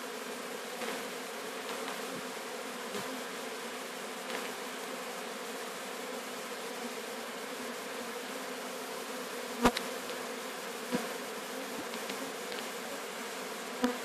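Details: Swarm of Apis mellifera sicula being collected at Sciacca: sustained droning buzz of many bees, steady throughout, broken by a few sharp clicks and knocks toward the end.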